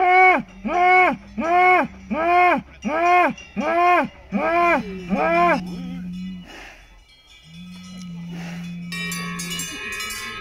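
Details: Salers cattle during the Pleaux cattle show in Cantal, France, on 13 August 2022: eight short arched calls in steady rhythm, then a long flat low note, with bells ringing at the end.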